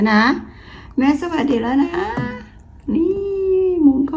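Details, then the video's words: A talkative Bengal cat indoors makes weird, drawn-out vocal sounds in three bouts of warbling, meow-like tones that bend up and down. "My Cat Making Weird Sound | Vocal Cat"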